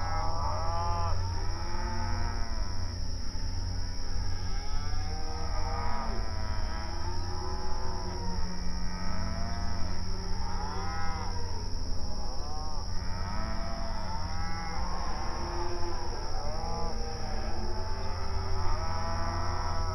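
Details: Open range cattle grazing on outdoor pasture, mooing and communicating with each other: many overlapping arched moos from several animals follow one another almost continuously, over a constant low rumble.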